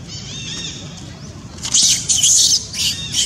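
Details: Young monkey Janet in Cambodia screams loudly after her mother Jane, angered by her pestering for more food, bites her hard. Shrill, piercing squeals come in a rapid run of bursts after a thin, wavering tone.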